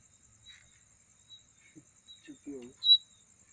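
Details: A night insect, possibly giving a mating call, makes a steady, very high, pulsing trill, with a brief voice and a chirp near the end.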